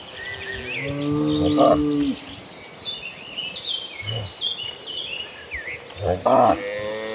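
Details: Cattle herd walking toward a green pasture: a low, drawn-out harmonic moo near the start, then a short louder bellow near the end, with small birds chirping steadily in the background.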